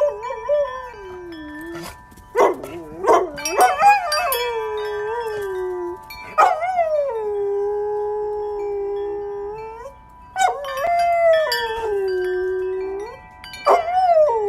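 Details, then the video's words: A female dog howls along to wind chimes, long sustained wavering tones sliding up and down between mid and high pitch, with bright metallic chime notes ringing throughout and brief breaks between howls. "Dog sings her heart out to wind chimes."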